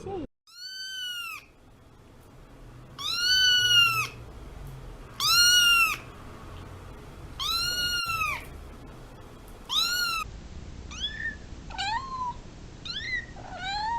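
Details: Domestic cat meowing: a series of loud, arched, wailing meows every two to three seconds, then several shorter, thinner, higher meows close together toward the end.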